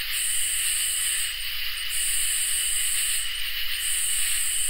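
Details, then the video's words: Crickets and katydids in a summer night chorus: a steady, unbroken mid-pitched trill beneath very high, hissing buzzes that run in long stretches of over a second, separated by brief pauses. "Crickets and Katydids in Summer | Ambient Night Chorus"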